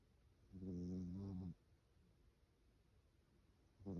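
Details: Sleeping cat snoring: one low, droning, buzzy snore lasting about a second, then quiet breathing, with the next snore just starting at the end.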